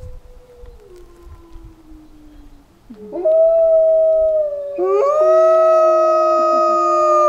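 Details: Pack of wolves, including a white wolf, at a wolf centre in Idaho, howling after a man howls to them: one long falling howl, then several voices join in sustained, overlapping steady tones that build to a loud chorus.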